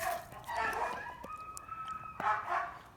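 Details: A young Yakut gray wolf in a wolf park, still shedding puppy fluff, gives rough, snarling yelps, then a held whining tone lasting about a second, followed by more harsh barks and yips.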